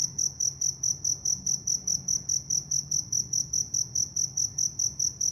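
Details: Cricket chirping on a peaceful evening in the Vietnamese countryside: a steady, high, shrill pulse repeated about four times per second, each chirp sharp and even, over a faint low rumble.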